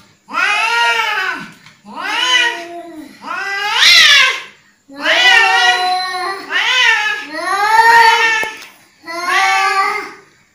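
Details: {'caption': 'Angry cat wailing in six long, harmonic, bending yowls, one roughly every second and a half, each swelling and fading, with no other sounds.'}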